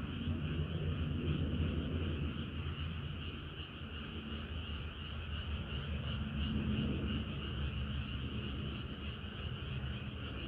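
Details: Summer-night frog chorus of many callers: overlapping throbbing trills form a constant wavering wall of sound, with a heavy low drone beneath that swells and eases.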